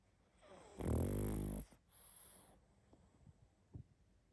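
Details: Pug snoring heavily in sleep: one strong, buzzing, rattly inhaled snore lasting under a second, then a gentler breathy exhale and small snuffles.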